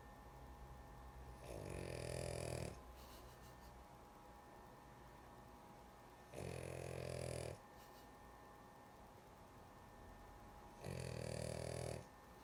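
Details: Sleepy female dog snoring steadily: three long rattling snores, each over a second, spaced roughly every four to five seconds, with soft breathing between and a low indoor hum.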